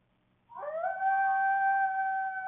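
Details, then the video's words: In the evening in Waukesha County, Wisconsin, a security camera records a coyote howl with two barks, the note rising quickly then holding one long, clear pitch; the recording repeats three times. "Coyote Vocalizations"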